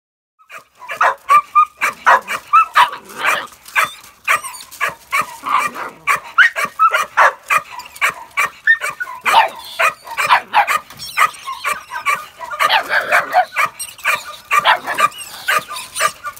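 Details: A working-line Bull Terrier puppy barks at a rat in quick, high, yappy bursts, two or three each second.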